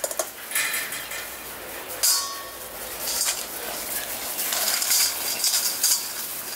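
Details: Quiet indoor clinking and clattering of dishes and cutlery with a faint background hiss; no animal sounds.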